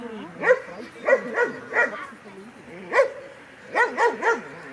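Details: Kleiner Münsterländer puppy Franzi, a 16-week-old female, at her first play session with mostly adult dogs, filmed on a Panasonic LUMIX FZ300; seven sharp, high barks come in uneven bursts over five seconds, with quiet pauses between.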